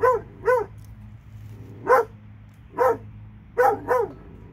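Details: Pair of dogs from Alabama giving single and paired loud barks spaced roughly a second apart over a faint low background hum.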